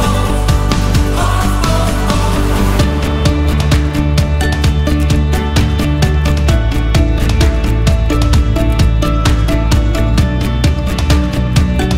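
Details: Energetic pop-rock music with pounding drums and a deep bass line, building after a short intro, and no animal voices.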